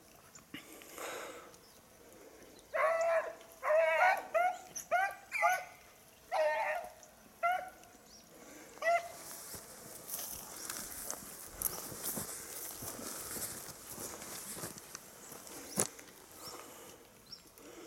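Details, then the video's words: Beagle hunting for a lost hare on 19 October 2022, giving a burst of ringing bays and short howled barks in the middle stretch, then quieter, with a hissing, rushing background in the later part. "beagle tsirkoudis 19-10-2022 χαμενος λαγος"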